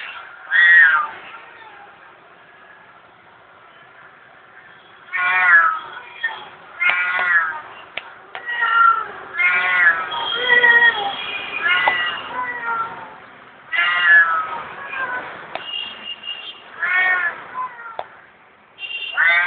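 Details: Hungry house cat begging for food with a rapid series of urgent meows, some rising then falling, coming in quick bursts after a quiet opening of about five seconds.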